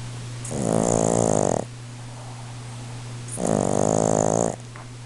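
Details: A male Boston Terrier snores very loudly in long, rasping breaths, each lasting about a second, while his owner tries to rouse him.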